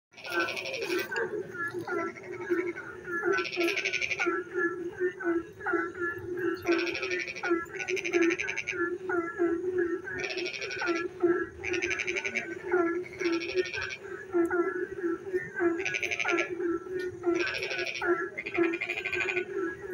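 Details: Frogs singing in the dark at night when it rains: a dense chorus with a steady low droning hum, short scattered chirps, and loud buzzy pulsed trills lasting about a second, repeated every one to two seconds.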